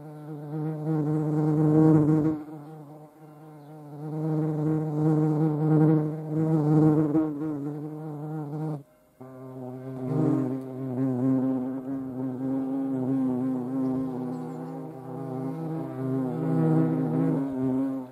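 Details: Hornet in flight, a low droning wing buzz with a steady hum and rich overtones, swelling and fading as it moves, with a brief break near the middle before the buzz resumes.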